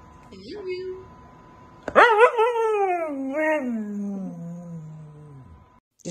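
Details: Siberian Husky throwing a fit indoors at staying in: a brief soft whine, then a loud wavering howl that breaks in abruptly, wobbles, and glides down over about three and a half seconds before silence and a new onset.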